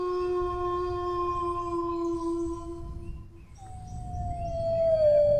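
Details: Dog giving a sustained, even low howl for more than three seconds, a brief gap, then a higher howl that starts sharply and glides gradually down in pitch.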